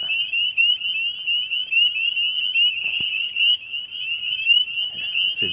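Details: Spring peepers, Connecticut's smallest frog, call on a rainy night of March 24 (45–50°F) near vernal pools in Naugatuck State Forest, with two calling to each other; high, clear peeps overlap into a deafening, nonstop chorus.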